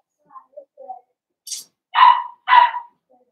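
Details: Blenheim Cavalier King Charles Spaniel puppy, one of five born on New Year's, on Theo's pick-up day: faint squeaks and a short hiss, then two strong, sharp barks about half a second apart.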